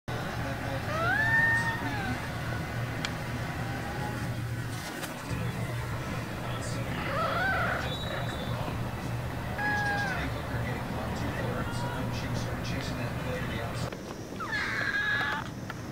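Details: Zelda, a pet cat, making cute interesting noises: short arched, tonal mews and chirps rising then falling, heard near the start, around the middle and again at the end, over a steady low hum with faint background sounds.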